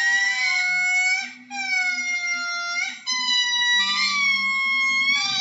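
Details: Lemur wailing: three long, steady tones of similar pitch, separated by short dips. Faint low background hum.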